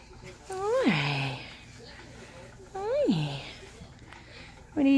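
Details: Female Norwegian Forest Cat Critter greeting her owner at the door on coming home in the evening: two drawn-out meows, each rising then sliding down, about two seconds apart, with a man talking softly and another cat playing with a toy nearby.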